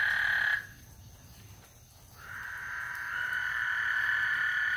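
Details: Frogs on Lake Houston sing before a thunderstorm: a trilling chorus cuts off early, leaving a quiet gap of over a second, then slowly builds back into a steady drone.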